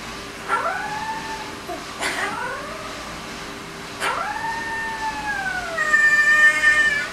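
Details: A 20-day-old female husky-malamute puppy howling along with a boy gives thin, wavering howls that dip sharply, then hold a drawn-out tone.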